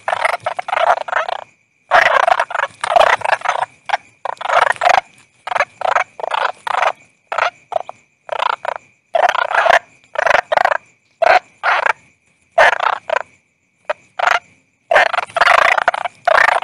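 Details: Long run of toad calls: repeated short bursts of coarse pulsed croaking, arriving roughly every half second to second with small pauses, a steady thin high tone persisting beneath.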